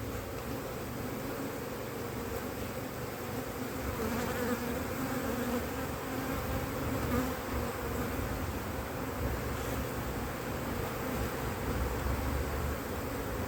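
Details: Honey bee colony, a drone-laying colony checked in cold weather in 2024 after the first matings on splits failed; a steady, dense hum with faint banded tones that swell slightly midway, with no voices.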